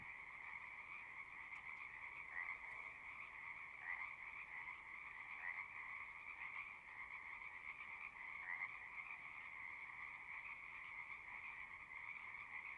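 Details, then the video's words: Many frogs calling together from a pond in a horse pasture: continuous buzzing trills at two pitches, with individual louder notes popping out roughly every one to two seconds over the steady chorus. "Frogs singing"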